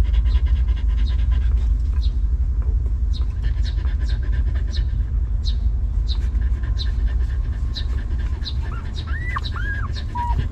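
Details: Stray mother dog with her newborn litter of puppies, given shelter and food after living rough: steady breathy panting bursts about three per second, with a few high, curving squeaks near the end over a low background rumble.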